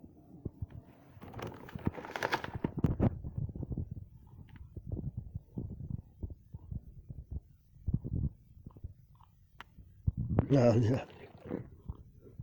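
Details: Kooky the dog growls while eating when Lucky is around, indoors on a Saturday morning, September 20th 2025: a low, rough rumbling under crunching and chewing noises, with a louder harsh burst near the end.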